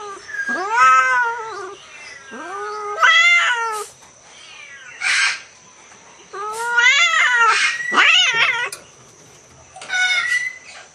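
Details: Asian leopard cat hybridizing with a Bengal cat during mating: loud, drawn-out wailing caterwauls with rich harmonics, each climbing then falling, given in bouts separated by brief pauses, with a short harsh spit between.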